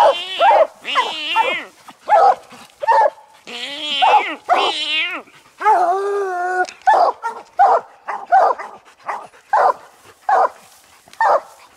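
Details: Coon dogs Lucky, Mossie and Star, an old dog, an aging dog and a year-old young dog, treed on a raccoon while hunting. Repeated loud barks and drawn-out bawling howls overlap at a fast, uneven pace.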